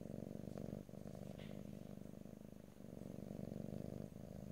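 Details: Pet cat purring in stereo, no talking: a low, rough, continuous rumble with two brief breathing dips and light rustling sounds on top.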